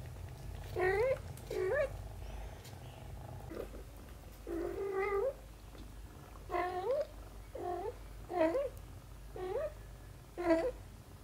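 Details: Indoors, a mother cat tends her kitten daughter; a run of about eight short, high kitten-like meows, each bending up then down, spaced roughly a second apart against low background hum.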